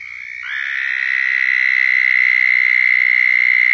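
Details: Close southern toad in Florida giving its mating call: a loud trill that begins softly with a slight upward slide and swells to a steady, sustained high buzz.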